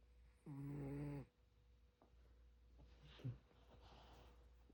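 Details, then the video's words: A sleeping pet dog named Seungdal snores: one low, buzzy, droning breath lasting under a second near the start, followed by quiet room noise with a brief soft rustle. "코고는 승달이 드르릉드르릉~~"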